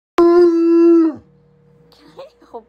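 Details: A bloodhound howling at its owner early in the morning gives a steady, full-throated howl lasting about a second, then drops off at the end.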